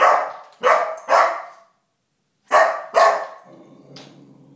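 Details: Four-month-old Golden Retriever puppy named Calvin barking at a stuffed bear inside his house; two quick bursts of two or three hoarse barks with a short silence between, ending in a low grumbling growl.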